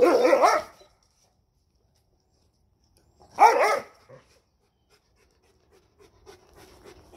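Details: Female Rhodesian Ridgeback rejecting a male after the breeding time is up: two harsh, snarling bark bursts about three seconds apart, each under a second long, followed by near silence with faint background rustling.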